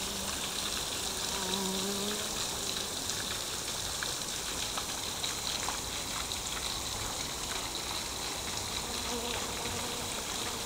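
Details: Busy bees working inside a lotus flower, weaving between the stamens. A low, steady wing buzz sounds for about two seconds at the start and returns more faintly near the end, over constant hissing, water-like background noise.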